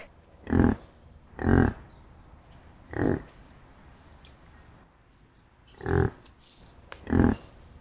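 A yak gives five short, low, rough grunts at uneven intervals of one to three seconds, with quiet background hiss between them.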